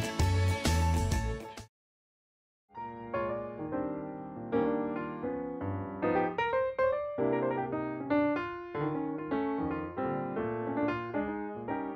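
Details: A short loud burst opens, followed by a moment of silence. Then soft, melodic piano or electric keyboard music carries on steadily, and no animal voices can be picked out.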